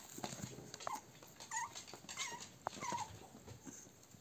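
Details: American Cocker Spaniel. Several American Cocker Spaniel puppies whimper and squeak in brief, high, slightly wavering notes. The calls come irregularly, often overlapping, with soft room noise behind them.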